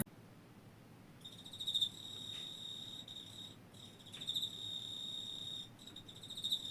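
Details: Steady high, thin insect trill running almost continuously with brief breaks, fairly quiet against soft background hiss.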